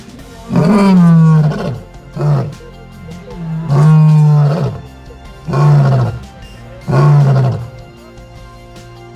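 A lion roars in deep, heavy bursts, each lasting about a second and repeated every few seconds.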